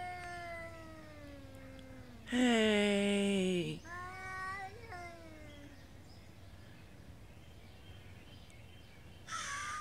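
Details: Two street cats in a morning territory standoff at a feeding spot in Beaver Falls: a drawn-out descending moan breaks into a loud, raspy, rough yowl, then wavering wails fade, another harsh cry bursting in at the end.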